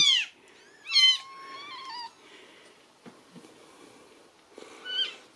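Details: Noisy Ragdoll kitten in a central Kansas home cattery, possibly hungry, calls with a sharp falling squeak then a longer wavering meow, quiet handling clicks, and a final meow after a pause.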